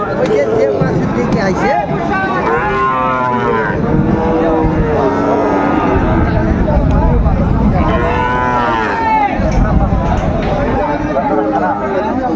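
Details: Sahiwal bull calves at a crowded livestock market with a Pabna farmer buying, 30 June 2024; drawn-out, wavering moos rise twice over constant market chatter, bargaining voices and engine hum.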